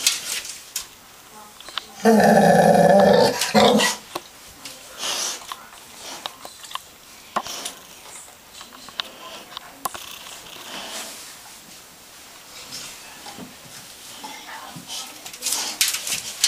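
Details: English Mastiff, a female, indoors, playing with a bath tub. Dense, loud, rumbling growl lasts about two seconds, then quieter thumps and scraping in a small room; a woman speaks softly beforehand.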